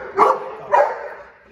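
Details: Golden Retriever named Barkley during a training session, giving two short, loud barks about half a second apart, each a broad burst of sound, followed by quiet.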